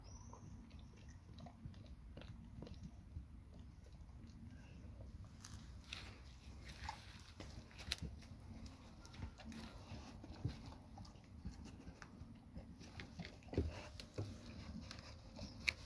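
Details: Labrador Retriever named Nona eating a huge grilled sandwich indoors: soft, irregular chewing and biting clicks over a steady low rumble, with sharper crunches growing more frequent in the second half.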